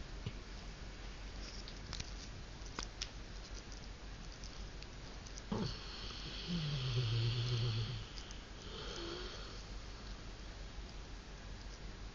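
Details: A 3-year-old male Rottweiler snores while taking an afternoon nap on the couch, a low rumbling breath with quieter sniffs and wheezy noises around it.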